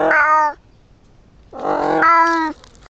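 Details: Indoor female pet cat gives two meows: a short half-second cry, then a longer, louder wail about a second long that bends upward in the middle before cutting off. The room is otherwise quiet.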